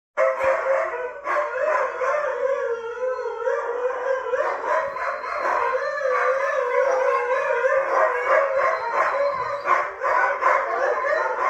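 Siberian Huskies give a loud, sustained chorus of howls, the voices wavering and sliding up and down as they overlap. The drawn-out, yodelling tones carry on without pause, with a few harsher yips mixed in.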